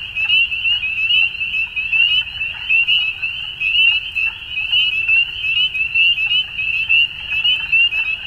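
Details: A crowd of frogs at dusk keeps up an unbroken high-pitched trill, pulsing rapidly and rising and falling in waves about once a second over a quiet low rumble.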